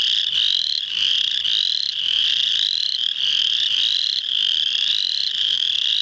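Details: Spring peepers in full chorus at Muscatatuck National Wildlife Refuge, Indiana, on March 7, 2009: high, piercing peeps, each rising slightly, overlap into a constant shrill wall.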